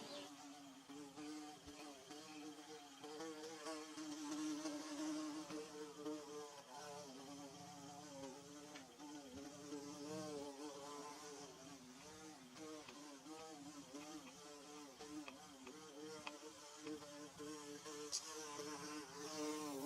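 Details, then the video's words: Bees at work building their nest, recorded in Mizo country. A loud, continuous multi-toned drone wobbles in pitch as individual insects pass close and drift away, with a faint hiss behind. "Bee Buzzing"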